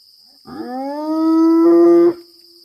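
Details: Spotted hyena howling into the darkness while pacing the fence at Maroela Camp, Kruger, South Africa, in April 2024: one long, steady, even-pitched cry with many overtones, rising slightly before cutting off, over a constant high insect drone.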